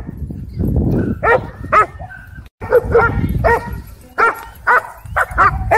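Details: Dog park fight between aggressive dogs: a low growling rumble opens, then clipped, strident barks and yelps in uneven bursts, with a brief break and human speech in the background.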